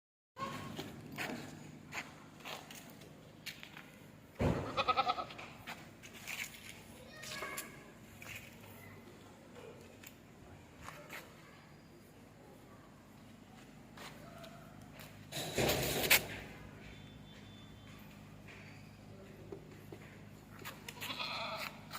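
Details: Goat offered for Bakra Eid, several bleats rising from steady background noise, two loud broad bursts around a third and three quarters of the way through, faint murmur and hum throughout.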